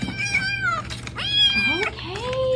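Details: Domestic cat meowing while its owner asks whether she said hi: a series of drawn-out, tonal meows, some falling and some rising, overlapping with a person's voice and a low steady hum indoors.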